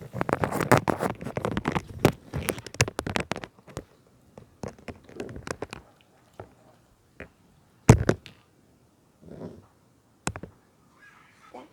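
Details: Puppy named Smile eating and drinking water, a busy run of crunchy, broadband chewing and lapping clicks for about four seconds, then sparse single bites and licks separated by quiet gaps.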